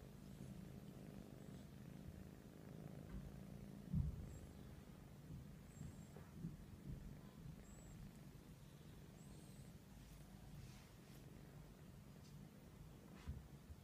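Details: Persian cats cuddling; a soft, continuous low rumbling purr throughout, with a few faint bumps and quiet high squeaks in the background.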